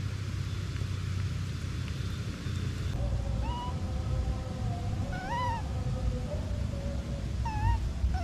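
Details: Baby monkey separated from its mother, crying: after three seconds of low rumbling background, short arched whining cries with bright harmonics come at about five and a half and seven and a half seconds, over a steady faint tone.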